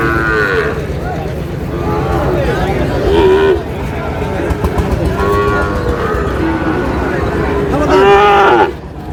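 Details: Sahiwal bull calves at a Noakhali cattle market in Bangladesh, 27/7/26: loud, short moos burst out near the start, around three seconds and again at eight seconds, with fainter lowing between and a busy crowd murmuring throughout.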